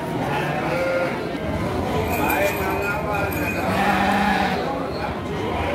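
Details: Garut sheep ewes for sale at the Andir sheep market in Garut, Priangan, on 5/4/2021, a morning livestock market for sheep and goats; wavering, nasal bleats rise from the flock over constant crowd chatter and market bustle.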